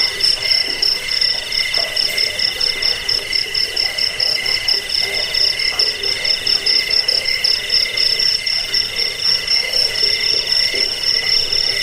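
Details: High, insistent cricket chorus, offered as a rat deterrent, sleep aid and bird-training track: stacked ringing tones pulse quickly and unevenly throughout, over a quiet low rumble.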